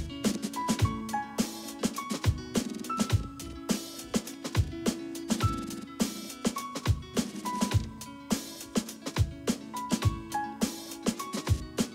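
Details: Steady drum-driven music with a regular beat and short melodic notes plays throughout, and no animal is heard.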